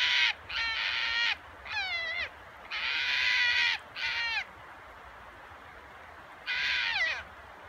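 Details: Red fox at a fox farm, the Kita-kitsune pasture in Kitami, Hokkaido, Japan, giving a rare roar: loud bursts of harsh, strongly harmonic cries, some with wavering downward-sliding tones, in groups separated by short silences.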